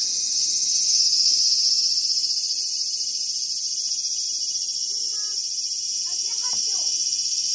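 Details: A large brown cicada, a summer insect, gives a steady, sizzling hiss, like oil frying, high-pitched and unbroken.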